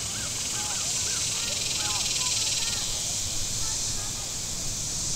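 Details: Cicadas along the shore of Table Rock Lake, southern Missouri, on a hot Saturday: a constant bright, buzzing hiss, with clustered bird chirps early on, fading later, and low boat engine rumble underneath.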